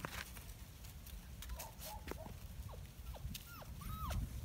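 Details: Five-week-old Kuvasz, Kangal and Komondor mix puppies as their night begins. About eight short, high, arching whines sound over roughly three seconds, several sliding downward, above a steady low rumble.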